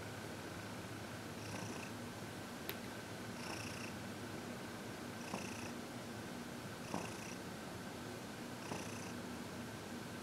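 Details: Senior cat Heidi, aged 14, contentedly purring during a massage and reiki session at home, February 2021; rhythmic airy bursts about every two seconds, with a few faint clicks and a constant background hiss.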